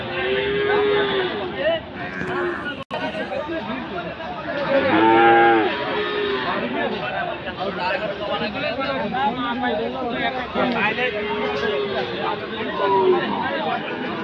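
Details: Friesian and cross-breed bulls and calves at a cattle market in Aftabganj, Dinajpur, on Saturday 18 February. Short moos rise out of constant crowd talk and shouting, and the clearest lowing call comes near the middle.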